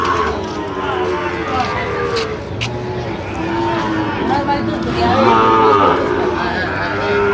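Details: Sahiwal bull calves at Ambari cattle market, Dinajpur, Bangladesh, 1 September 2025; several moos overlap through the crowd, a louder harmonic call near the end, with bargaining voices throughout.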